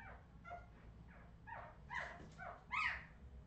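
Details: Redwing Australian Terrier puppies from 2018 letting out a quick series of shrill, wavering whimpers and yelps, each cry rising then falling, growing louder toward the final squeal, with steady low background hum.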